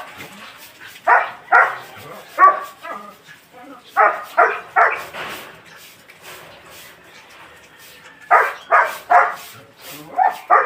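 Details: Belgian Malinois giving clusters of rapid, sharp barks, two or three at a time, separated by short quiet gaps, with a final group of four toward the end and low background noise throughout.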